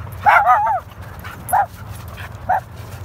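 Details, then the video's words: Standard Poodle named Miracle, a female, being chased while playing with other dogs outdoors; a loud yelping bark with a wavering tail, followed by two shorter single barks about one second apart over low rumbling background noise. "Standard Poodle Miracle Getting Chased"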